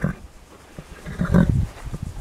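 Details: Horse nickering to a person who coaxes it to talk, a soft low fluttering rumble swelling midway through, with breathy snorts and a nearby human voice.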